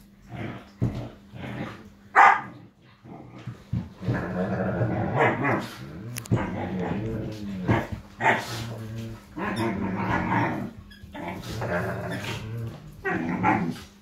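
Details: Five-and-a-half-week-old Irish Wolfhound puppies at play, trading sustained throaty growls and scuffling snarls with intermittent squeaky yips, a steady low hum beneath, recorded indoors.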